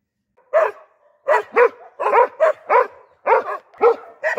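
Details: Dog barking: about nine short, sharp barks over four seconds after a brief pause, some in quick pairs, loud and hoarse with a clear tonal core, against a quiet background.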